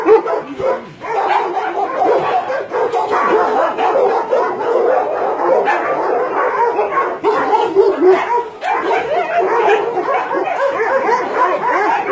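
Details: Many dogs barking together at a meat farm and puppy mill in Nonsan, South Korea, January 2017, where about 150 dogs including Dobermans, Shar Peis, Chow Chows and Golden Retrievers are kept; dense, overlapping, continuous barks and yelps with no pause.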